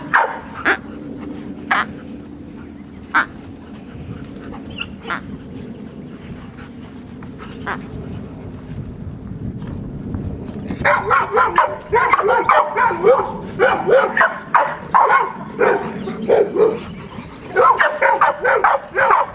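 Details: Labrador Retriever puppies playing with a stuffed duck: a quieter start of scuffling and occasional single yips, then from midway a dense run of rapid, high-pitched yelps and squeaky barks with rustling.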